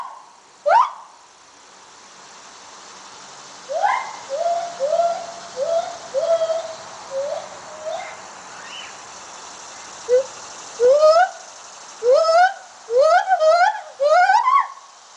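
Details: Gibbons calling: one sharp upswept note, then a run of short rising whistled hoots, then louder, faster swooping notes that climb steeply, each with bright upper overtones, in a quiet setting.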